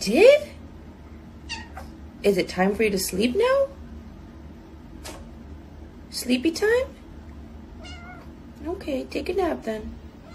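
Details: Domestic cat meowing indoors, several rising-then-falling meows at the start, around two seconds, about six seconds and near nine seconds, with quiet human talk and low room hum between calls.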